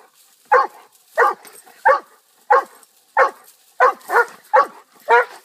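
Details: Pet dog barking steadily, nine short sharp barks about two-thirds of a second apart, each bark mid-pitched with a quick falling tail, quiet background between barks.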